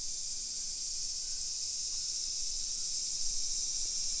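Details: Cicada chorus in summer, suburban Nisshin near Nagoya, Japan, early afternoon on 28 July 2021; a continuous shrill sizzling wall of sound holds steady at high pitch, with faint low street rumble beneath.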